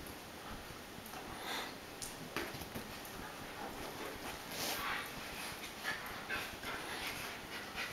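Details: American Akita Tomo, an adult female, plays with her new puppy brother Shima indoors; soft breathy panting and scuffling bursts come and go over a steady low hiss, with a few brief sharper scrapes.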